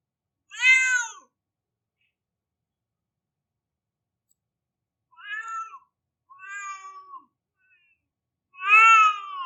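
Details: Crying cat, four plaintive meows: a sharp loud descending cry, a long pause, two medium wails with a flat, drawn-out ending, then a final loud harmonic meow; quiet background.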